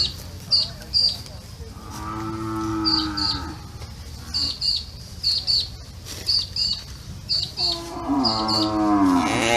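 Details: A cow gives two deep, drawn-out moos that sag in pitch, with small birds chirping behind; cow lowing.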